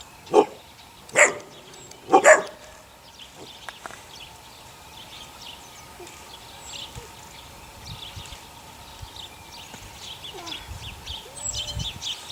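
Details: Eight-week-old puppies from Sunny's litter of six give three quick, loud yaps within the first two and a half seconds. Quieter stretches follow, with birds twittering in the background.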